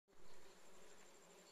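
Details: Honey bee giving a faint, steady droning buzz with a low hum, starting abruptly and then holding fairly even at a quiet level.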